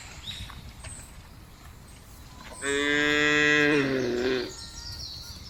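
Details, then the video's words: A cow in a field gives one long, rich moo, strongly harmonic and slightly falling at the end. "FUNNY SOUND OF COWS IN THE FIELD..SUARA SAPI LUCU"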